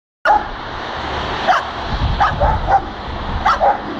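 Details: A dog spins around while barking in short, sharp bursts, several times over a few seconds, met suddenly on a walk home.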